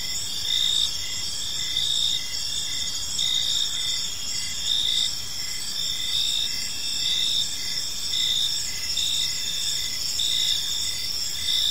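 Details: Gentle evening cricket chorus in a park, continuous high ringing trills with rhythmic louder chirps pulsing about every second, layered over quiet low-frequency background noise.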